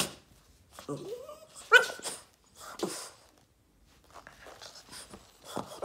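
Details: Boston Terrier Yoda, indoors, throwing a tantrum for attention: a rising drawn-out whine sliding upward, then a sharp higher squeal and short huffing grumbles, followed by softer snorting noises in a small room.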